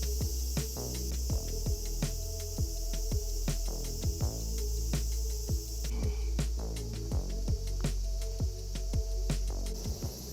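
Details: Cicadas drone loudly and steadily at a high pitch over background music at a large shrine in central Chiba, Japan.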